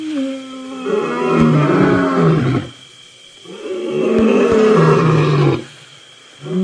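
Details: A lion gives deep, rumbling, perfunctory roars at close range during a sunset drive in the Sabi Sand, Djuma Game Reserve, at about 5:30 PM on April 29, 2018. There are two long bursts, each swelling then fading, with pauses between.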